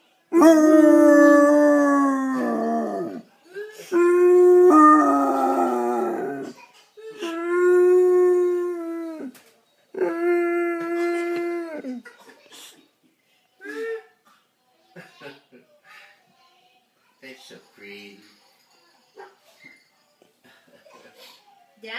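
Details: Eleven-year-old Basset Hound Lucy singing at home: four drawn-out, steady-pitched howls across the first twelve seconds, then quieter scattered yips and faint voices in the background.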